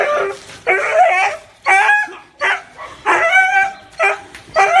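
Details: Dog barking in a steady series of harsh, mid-pitched barks, each about half a second long with short gaps, some rising slightly at the end, with little else in the background.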